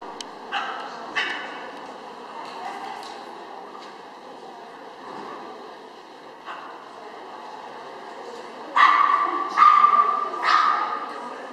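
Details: Chihuahua named Karlo at an agility trial in Gallus Henau, September 2011, giving a few sharp, high yipping barks near the end, with quieter scattered sounds and voices earlier in the run.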